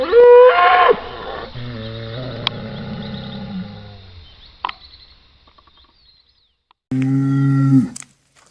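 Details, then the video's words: Cattle lowing: a brief high bleating note opens, followed by a deep, steady moo that fades over about three seconds, silence, then one more short, low, loud moo near the end. "BOI BERRANDO | SOM DE VACA | SOM DE BOI | TOURO BERRANDO | BOI MUGINDO | VACA MUGINDO - SOUND OF COW"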